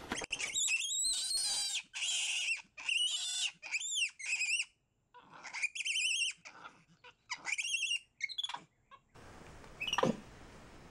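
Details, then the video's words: Pet capuchin monkey MonkeyBoo talking with his owner: bursts of high, squeaky chirps and squeals with arching, harmonic tones, about eight bursts over nine seconds, ending with a rustling noise and one sweeping squeal. "Capuchin Monkey Talking Compilation!"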